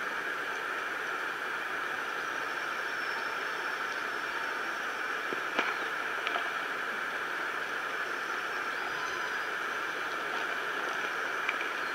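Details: Steady underwater hiss and engine-like hum with a few faint clicks, and no clear animal calls.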